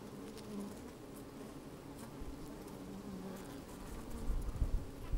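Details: Bees busy inside an open hive on a sunny day, microphone placed down among them; steady low hum with short buzzes, ending in louder thumping and rustling at the close.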